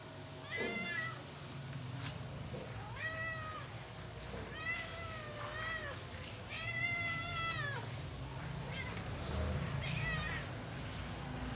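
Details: Leopard cat kittens described as feeling alone and missing friends, meowing in a series of harmonic, slightly rising-then-falling cries, several in close succession, over a steady low background hum.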